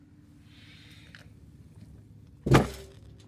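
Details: Low engine hum with a soft whirr, then a sharp thump like a car door closing; no animal calls.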